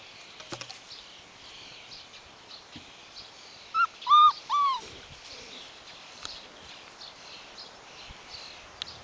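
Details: Rhodesian Ridgeback puppy, the only female of her litter, six weeks old, on day 44: three short high whimpering yelps near the middle, each a quick rising-then-falling whine, over a quiet outdoor background with faint clicks and soft rustling.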